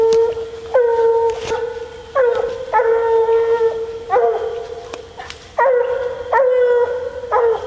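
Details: Female Bluetick Coonhound baying while coon hunting. Choppier, rapid bawls: short, ringing notes, each breaking upward at its start and repeated roughly every half second to second. A few sharp clicks sound in the background.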